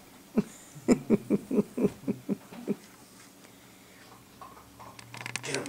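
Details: Two pet dogs, Cooper and Sophie, barking at each other indoors on 12 6 2014 as Sophie teaches Cooper to be a guard dog. A quick run of about nine short, sharp barks over two seconds, then quiet, ending with rustling and clatter.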